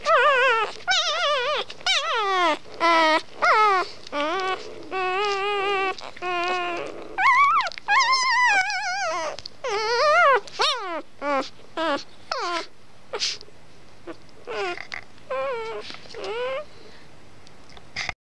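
A Labrador retriever puppy howls in wavering, whiny rising and falling notes, broken by short pauses.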